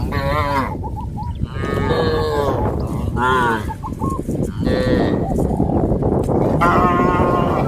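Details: A herd of cows on a traditional village farm heading to green grass fields; overlapping moos follow one another almost continuously, some deep and some higher and strained, over a dense low rumble of movement.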